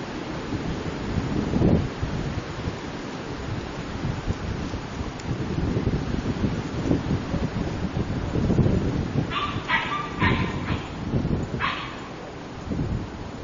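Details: Cute puppy giving a quick cluster of four sharp, high yelps late in the recording, packed close together after a long stretch of low rustling and handling noise.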